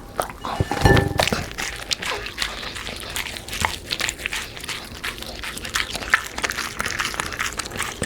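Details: Black Labrador eats fried dough, sponge cake and vegetables, making a loud thump at the start, then continuous moist crunching and lip-smacking bites at an uneven pace.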